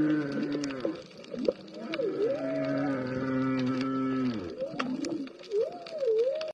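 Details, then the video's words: Humpback whales heard underwater near a green sea turtle and a school of bigeye trevally: long, steady low moans gliding downward at the end, followed by short looping upsweeps, over crackling background noise. "while you can hear humpbacks"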